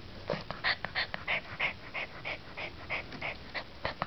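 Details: Riley, a nine-week-old Chow Chow puppy, breathes in quick, breathy pants, about three a second. Each pant is a soft hissing puff, some with a faint whimpering edge, repeated in an even rhythm over light background noise.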